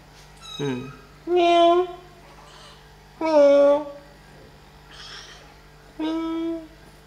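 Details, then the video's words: Kittens at play and feeding time give a run of short, bright meows, four main calls spaced a second or two apart, each slightly bending downward, with softer squeaks between them in a small indoor room. "Relaxing 1 Hour With Cute Kittens - Playing And Feeding"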